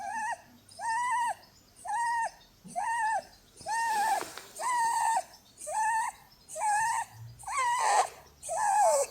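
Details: Blueberry, a female Holland Lop rabbit, snoring in her sleep while being cuddled; whistle-like tonal snores, each rising then falling, repeat about once a second, nine in a row, the later ones louder and breathier.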